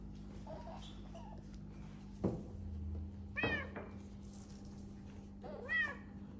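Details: Domestic cat in a house shared with exotic animals, giving two short, bright meows that arch up then fall, about two seconds apart, after a soft thump, over a steady low indoor hum.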